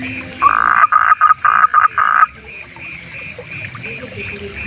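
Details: Night chorus of wild frogs: a close frog's loud, harsh croaks in quick bursts, about four a second, for two seconds, then quieter repeated chirps from other frogs in the background.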